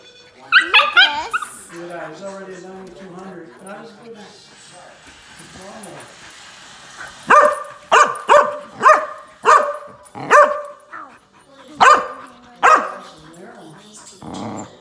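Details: Husky meeting a 20-week-old golden retriever puppy, the husky unimpressed; human talk and laughter at first, then a run of sharp barks repeated about every second from mid-clip onward.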